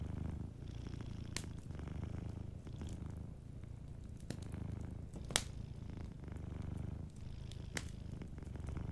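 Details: Soft, rumbling purr of a sleeping cat, low and steady with rhythmic inhale-exhale pulses roughly every one to two seconds; occasional crisp fireplace crackles cut through.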